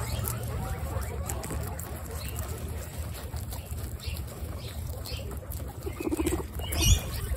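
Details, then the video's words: Three generations of female guinea pigs munching lettuce together, a dense, steady patter of crunching and nibbling with low background rumble and a brief squeak near the end. "Guinea pig 3 generation lettuce Mukbang"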